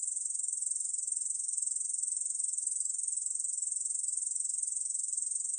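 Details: Ussuri bush cricket, known in Korea as 중베짱이, in a 2020 National Institute of Biological Resources recording: a sustained, piercing high buzz of rapid ticking pulses that holds an even volume. There are no other sounds.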